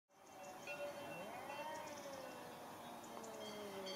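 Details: Two cats fighting, dated 8.11.2015, out in weather cold enough to risk a chill; long drawn, wavering yowls hold at a mid pitch, slowly bending up and down with a low, steady background hiss.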